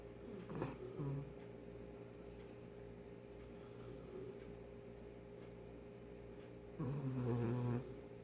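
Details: Daebak, a very tired poodle, snoring loudly in its sleep indoors, recorded close up; two deep, rasping snores, one near the start and a longer one near the end, with quiet steady breathing between.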